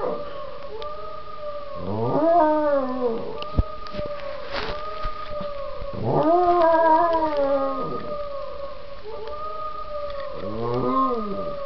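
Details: Marzo the dog answers a played sound clip with three howls, each starting low, swooping up into a wavering, overtone-rich wail and sagging at the end, roughly four seconds apart, against a steady humming two-tone background.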